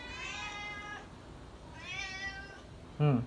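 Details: A pet cat named Srintil cries loudly, begging for food: two long, drawn-out harmonic meows, each about a second, rising then falling, followed by a short clatter at the end.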